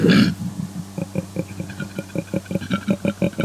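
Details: A koala, likely a male calling at night in the breeding season, opens with a harsh, loud snort, then a steady run of deep, guttural, pig-like grunts at about six per second, like rough snoring, used for long-distance communication.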